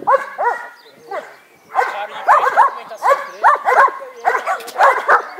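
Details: Taran the Dobermann gives repeated clusters of strong, ringing barks, bunched in twos and threes roughly every half second after a quieter opening, with some human speech mixed in between.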